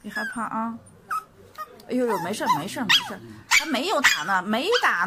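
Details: Dog reacting to being given an injection, letting out wavering, sliding whines and howl-like cries that rise and fall in pitch, mixed with people talking close by indoors.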